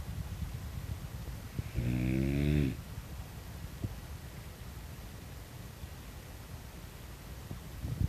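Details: Short, low, raspy snort of under a second from a French Bulldog, breed noted for snorting rather than barking, set against a steady low background hum and a few soft knocks.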